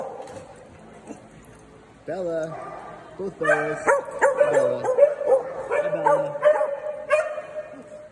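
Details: Quiet talking gives way to a Saturday morning daycare group of small dogs barking: a brief whine, then a run of quick, high yaps overlapping one another.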